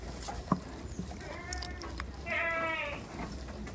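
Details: Farm goats in a village: a faint wavering bleat, then a louder, quavering, harmonic-rich bleat lasting about half a second, over a low rumble with scattered knocks.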